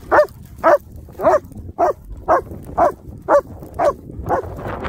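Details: German Shepherds Nico and Zeeva, wet and muddy at play on a Sunday, give a run of nine even barks, roughly two per second, with a faint low rumble underneath.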